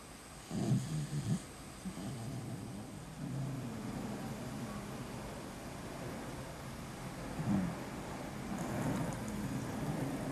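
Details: Beagle named Vicky, a pet dog sleeping soundly, snoring: a rough, low rumbling snore near the start, then quieter breathing and another rasping snore later, over a steady indoor hum.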